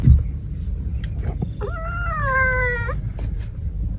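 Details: Cat from a big-cat-versus-small-cat pairing utters a single bright, slightly wavering meow of just over a second, over a steady low rumble and a few clicks.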